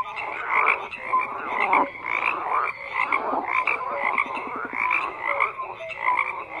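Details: Frogs in full chorus, continuous overlapping croaks with rough pulsed texture and scattered brief tonal notes, steady in loudness.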